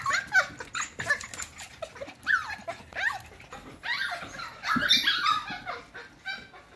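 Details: Wavering, whiny cries from F1 cockapoo puppies, crossbred from a Cocker Spaniel and a miniature poodle, rise and fall in pitch. Several pups squeal at once, with a louder cluster of cries after four seconds.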